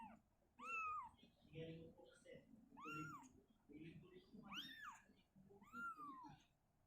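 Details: Indoors, mother cat Shizuka relocates her kitten out of a cabinet to an open spot. A run of rising-then-falling meows about every second or two sits over a low background of quiet voices and shuffling.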